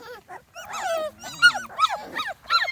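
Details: Several 2.5-week-old Small Munsterlander puppies, a kennel litter on their first outing outdoors, squealing in short bent yelps and whines, overlapping and uneven, some louder bursts near the end.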